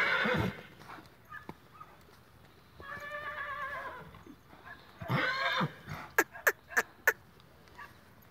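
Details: Twenty-month-old Lusitano youngster: a quavering, vibrato whinny of several seconds, then a second shorter harsh neigh, followed by four sharp knocking clicks at regular spacing.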